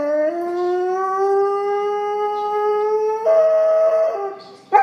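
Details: Great Pyrenees female, the livestock guardian breed of the Alps, howls in one long drawn-out note that slowly rises in pitch, then jumps abruptly higher for about a second before fading and breaking off.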